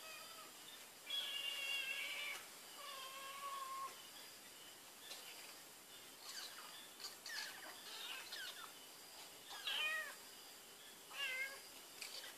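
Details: Cat smelling Whiskas food gives soft, quiet meows with falling tones, several in a row, mixed with brief scratchy rustles and faint background hiss.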